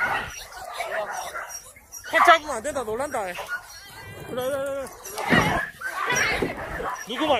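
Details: Dogs at the Yangsan Mindeulle animal shelter during a volunteer visit give long, wavering, high whines that rise and fall. Several voices overlap, and human speech and general shelter clatter run underneath.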